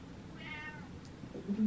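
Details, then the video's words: House cat indoors letting out a brief meow with a stacked, slightly falling tone, then a woman's voice speaking to it. "Meowing Cat"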